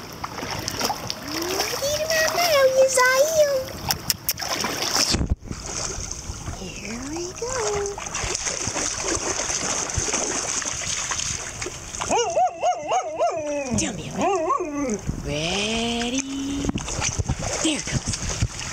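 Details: A Siberian Husky talks back to a person while swimming in a private dog pool in Spring, Texas, with drawn-out, wavering, speech-like howl-moans in bursts over splashing, sloshing water and occasional human voice.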